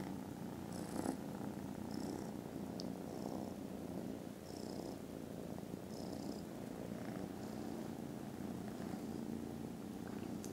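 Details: Sleepy, contented foster kittens after lunch purr loudly and continuously on a December Friday, a thick low vibrating rumble steady for ten seconds, dotted with a few soft high hissing puffs and a tiny click.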